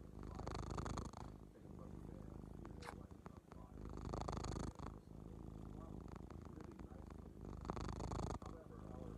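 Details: Hutch, a male pet cat with a very loud purr, rumbles in a steady low throbbing pulse, about three to four beats a second, swelling in three louder stretches, with a person's voice heard briefly.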